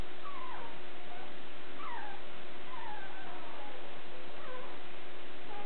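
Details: Nine-day-old Border Collie puppies from a litter born March 3, 2016 in Cartwright, Manitoba, recorded March 12, 2016: thin, high squeaky whines, rising and falling, about four over several seconds, over a steady electrical hum.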